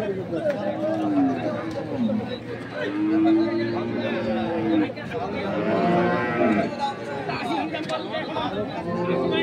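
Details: At Ambari cattle market in Parbatipur, Dinajpur, crossbred bulls suited to farming low in long sustained moos, mixed with bargaining voices and crowd noise, 2 January 2024.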